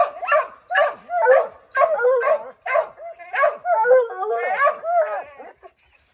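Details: Excited Redbone Coonhounds treeing a chipmunk in an oak tree bark rapidly, about two barks a second, in overlapping yelping bursts that trail into a wavering howl before fading.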